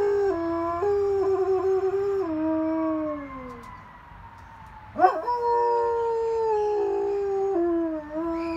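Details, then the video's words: A German Shepherd howls in response to sirens, in long, wavering tones that slide down, then rises again after a brief yelp. "German Shepherd howling at sirens. 🚨😆 Max the Axe..let this go viral."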